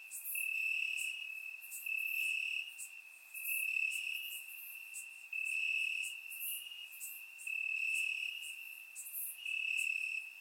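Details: Summer-night crickets chirping in Bulgarian grass, their shrill steady trill punctuated by regular bursts of rapid high chirps every second or so, loudness pulsing up and down, recorded with a surround microphone.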